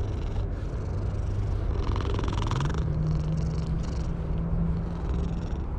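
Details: Stray cat on top of a wall being stroked: a steady low rumbling purr runs throughout, deepening and strengthening slightly halfway through, with faint rustling over it.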